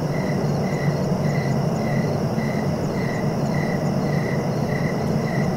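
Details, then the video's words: Cricket calling in evenly spaced short chirps, around ten in just over five seconds. A deep, continuous background rumble runs throughout. "Relaxing cricket sounds for sleeping"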